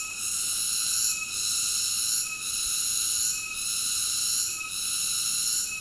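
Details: Cicada singing: a continuous shrill, high-pitched drone built of stacked ringing tones, dipping briefly about every second and then resuming at full strength; no other sounds.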